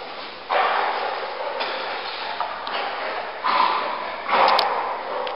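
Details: Dogs Peanut and Ajax barking indoors: about four harsh, broadband barks spaced irregularly over five seconds, the later ones louder, with a faint room hum beneath.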